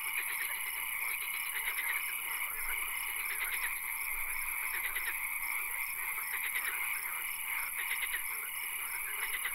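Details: Frogs in a night swamp, their clicking, pulsed trills recurring in short bursts every couple of seconds against a dense, unbroken drone of other callers.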